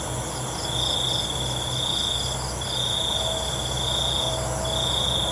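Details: Night-time crickets give a high trill in long bursts that break off and restart every second or so, set against a continuous thin, high insect buzz and a soft low hum.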